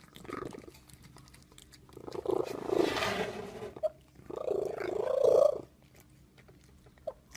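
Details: Cat making a terrible sound: a soft whine, then a burst of hissing noise, followed by one loud drawn-out wavering cry and a brief click near the end.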